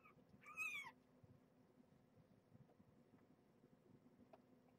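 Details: Domestic cats indoors, nursing mother Marge, once a pregnant stray, with her sleepy kittens during feeding and a weigh-in: one short, high, bending mew, then quiet room hiss.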